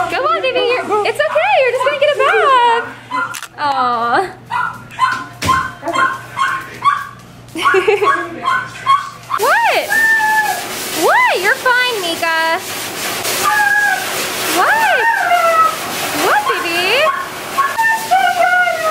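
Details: Female Siberian Husky Meeka at the groomers, protesting dramatically with a run of bending, arched yodel-like howls that rise and fall again and again, mixed with people's coaxing voices.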